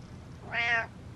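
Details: Butters the cat gives a single clear meow indoors, about a third of a second long, bright and harmonic, rising slightly then falling away, with a low steady hum beneath.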